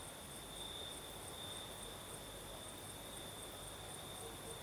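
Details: Crickets sing through a southern Crimean night as a breeze blows: an unbroken high, thin trill layered over broad windy noise, with a faint higher shimmer above.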